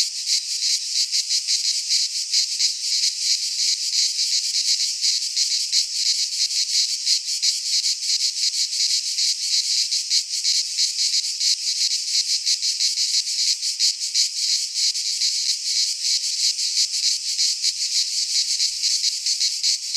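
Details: Pine forest cicadas in Greece during midsummer, producing a loud uninterrupted high buzzing with fast throbbing pulses, steady in volume, no birds or other noises.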